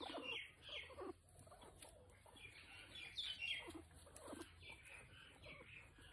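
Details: Guinea pig named Potato during nail clipping, giving short high chirping squeaks, several rising and falling, scattered irregularly across the clip amid soft rustling and handling noise.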